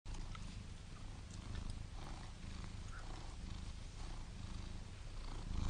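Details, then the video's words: Domestic cat purring steadily, a deep continuous rumbling drone with a faint soft hiss above it and no other clear sounds. "Listen To The Purr Of The Cutest Cats"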